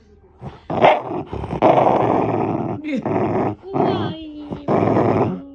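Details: Shiba Inu, a pet dog, makes engine-like growling: a few rasping, buzzy rumbles of varying length separated by brief gaps, with a faint tonal voice-like sound between bursts.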